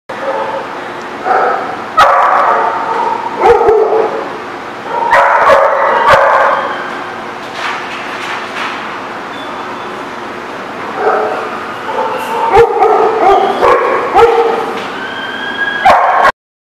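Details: Dogs barking recorded on 10/13/17: loud, tonal barks and higher yips come in clusters, with pauses between. Sharp clicks and knocks are scattered throughout.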